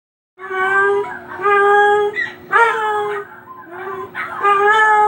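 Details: Pet dog howling in response to other dogs: sustained tonal howls with strong harmonics, each drawn out about a second, mostly level with slight rises, separated by short gaps and softer whimpering tones.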